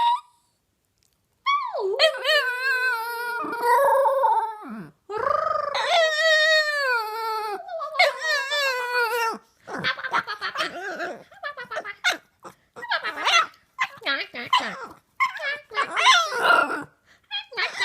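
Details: A female Boston Terrier howls along with her owner, imitating the owner's funny sounds, as she often does after waking in the morning. She gives long, wavering howls that rise and fall, then shorter broken yips and whines.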